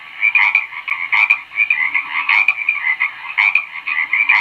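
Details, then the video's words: Many frogs calling together, a steady buzzy trilling layered with sharper croaks that pulse at an uneven, rapid rhythm; no other sounds stand out. "SOM DE RÃ - BARULHO DE RÃ - SOM EMITIDO PELA RÃ"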